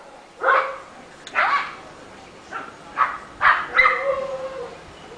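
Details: A Rottweiler in a residential neighbourhood, said to be heard all day long, barks in loud, gruff bursts, several in quick succession.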